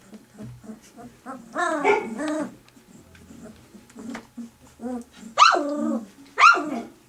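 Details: Three-week-old puppies squabble over milk as their mother comes near. Scattered soft squeaks lead to a long, wavering whine, then two sharp, rising-then-falling yelps close together near the end.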